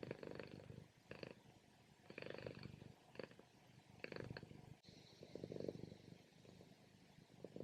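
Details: Domestic female cat purring loudly during a morning nap, the rumbling purr rising and falling in bursts roughly once a second with each breath, quiet room.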